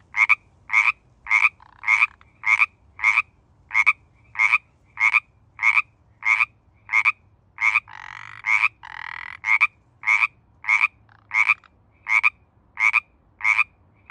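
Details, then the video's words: Pacific tree frog, also called Pacific chorus frog, calling in mating season: loud two-part ribbit notes repeated steadily about every 0.6 seconds, with a longer trilled call from a second frog overlapping near the middle. "Pacific Tree Frog"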